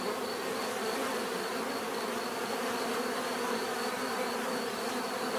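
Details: Bees buzzing in a dense, steady drone, many wingbeats overlapping into a continuous hum with layered tones, no pauses across the stretch, offered as natural bee sound for relaxation and sleep.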